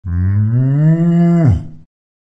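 A cow gives a single long, deep moo that rises slightly, then drops away at the end.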